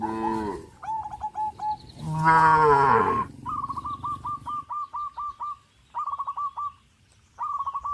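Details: Tame cows crowd around open fields, running and jumping for joy. A short moo opens and a longer, loud one follows, then steady rows of quick, high chirps carry on after the lowing stops.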